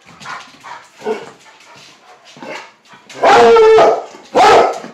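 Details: A squirrel-loving Plott Hound mix gives two loud, drawn-out, ringing bays after a person urges it to go get a squirrel; finding: Plott Hound.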